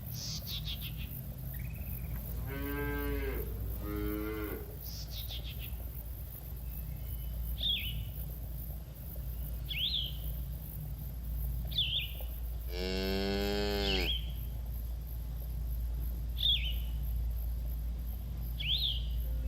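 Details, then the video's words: Cattle from a herd grazing in a green field, enjoying the grass: two rough, wavering moos close together early on, then a longer, louder, strongly harmonic moo later. Sharp bird chirps recur between them over steady low background noise. "Suara Sapi Moo"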